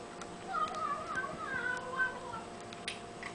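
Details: Young house kitten making cute sounds during a meal: a warbling, wavering run of mews lasting about two seconds, mixed with faint clicks from chewing or dish noises.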